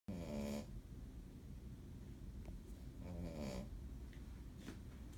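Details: A very tired female Shih Tzu, asleep in another dog's bed, snores steadily in low, buzzy rattles with a slightly rising tone, about three seconds apart, with soft breathing between.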